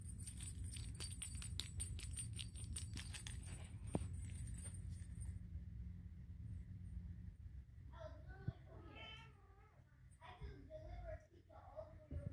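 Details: Golden British Shorthair kittens at play: rapid rustling and ticking for the first few seconds, then a string of short, thin, wavering high meows, with a low hum underneath.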